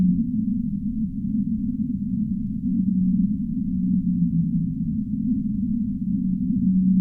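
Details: Deep-sea whale gives long, deep, steady moans that drift slightly lower in pitch over a dull underwater rumble.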